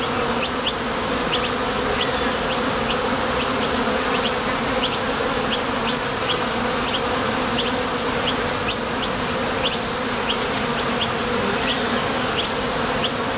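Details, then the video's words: Honey bees at a top bar hive entrance, heading out to the field for nectar or returning, make a steady, dense hum, overlaid by light repeated high clicks. "Bees Sound Effects | WHITE NOISE | RUIDO BLANCO RELAJANTE Sonido de las Abejas"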